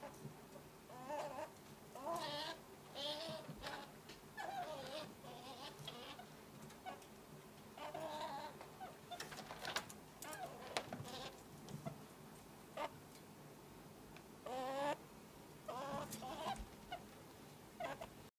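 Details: Meru, a three-month-old male pet ferret kit from Path Valley, gives repeated baby cries: thin, wavering, harmonic squeals in short bursts of about a second, coming every few seconds over a faint steady hum.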